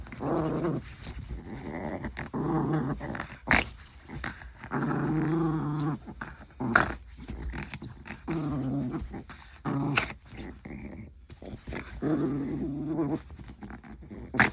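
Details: Maltese dog play fighting with its owner's hand, growling in rough, rumbling bursts of a few seconds each, broken by snuffles and scuffling noises.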